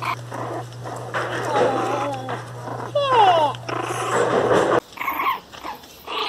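A Miniature Pinscher whines and cries in high, wavering, sliding notes, with human voices nearby.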